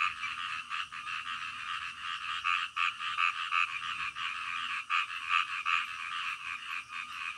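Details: Frogs calling at night, a dense chorus of short croaks pulsing about two or three times a second, overlapping voices forming a steady rhythmic din with no other sounds standing out.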